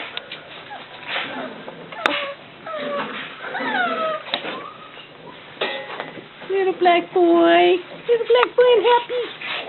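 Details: Cockalier puppies, among them a little black boy, kept indoors while their mother Milly is outside; high whines with many overtones come in a quick run of short repeated cries near the end, over a woman's talking.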